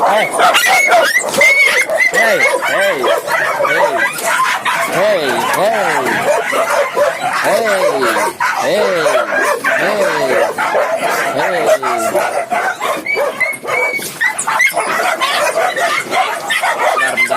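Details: Many Indonesian village dogs, kept at a large breeding farm in Indonesia and bred as hunting and guard dogs, bark and yip together in a dense, overlapping chorus of short rising-falling calls throughout, with a person counting aloud.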